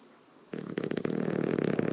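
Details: An English Bulldog sleeping, snoring with a rough, fluttering rattle as his lips flap in the wind with each breath, after a brief quiet moment; a sound he makes for hours daily.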